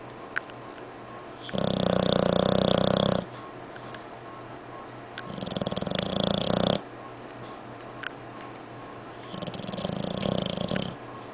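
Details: English Bulldog asleep, giving loud raspy snores in three long bursts of about one to two seconds, the first strongest, with quiet gaps and a few small clicks between breaths.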